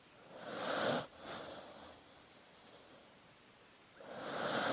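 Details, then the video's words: Dog breathing in its sleep: soft, airy hissing breaths, one ending sharply after a second, then a long fading exhale and a new breath starting near the end. "Sleeping Dog Sounds"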